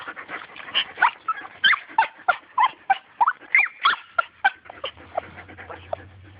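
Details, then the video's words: Small dog wanting a turtle chatters in monkey-like fashion: rapid, rhythmic high yips and squeals, roughly one and a half per second, fading to a low steady hum near the end. "Little dog wants turtle and makes monkey sounds"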